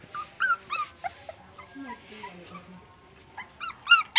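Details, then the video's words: Young dogs squabbling and playing after dark give shrill, wavering squeals in quick bursts at the start and end, with a lower drawn-out whine and faint voices in the quieter middle stretch. "Puppies quarrel and play at night"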